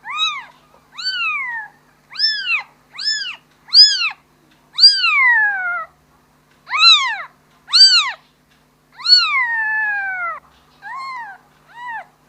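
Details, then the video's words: Young kitten crying for its mother: a quick series of high arched mews, several short ones in a row then longer drawn-out falling cries, irregularly spaced, with a quiet background. "Suara anak kucing memanggil ibu nya"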